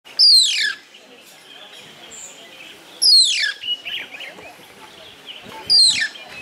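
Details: Mongoose calling at a camp restaurant in Masai Mara, Kenya, in August 2011; loud, sharp, high whistles sweeping steeply downward, three of them about three seconds apart, over a steady background murmur.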